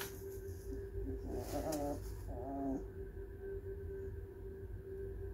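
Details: A 4-week-old bloodhound foster puppy gives two brief, wavering grumbles over a steady background hum.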